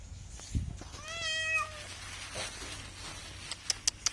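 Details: A cat gives a single drawn-out meow of about a second, steady then slightly falling, followed by quiet background and a few sharp clicking taps near the end.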